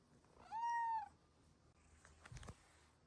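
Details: A pet female cat indoors gives one clear, drawn-out meow lasting about half a second, steady and slightly arched in pitch, followed by quiet clicks and rustling.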